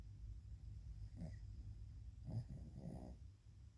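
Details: Sleeping dog snoring indoors, loud enough to wake its owner; low rumbling breaths with a couple of rough snorts around the middle and end, steady low hum underneath.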